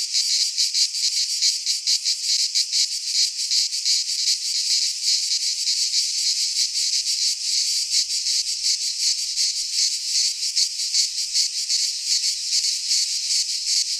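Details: Cicadas singing in midsummer in a pine forest in Greece: a dense, continuous high buzzing chorus with a rapid pulsing shimmer, several pulses per second, steady and unbroken throughout with no other sounds.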